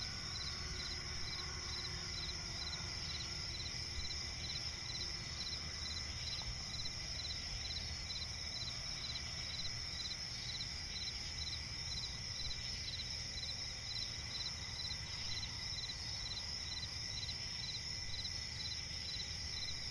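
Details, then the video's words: Night-time chorus of crickets in a swampy forest, a constant shrill high trill layered with quick repeated pulses, steady throughout against a low background hum. "cricket chirping relaxing sound in night forest"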